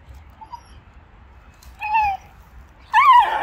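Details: A Shiba Inu gives two short, tonal, whiny barks, the second louder and rising before it falls, while barking and growling at an icy puddle, standing guard as though protecting its owner from crossing it.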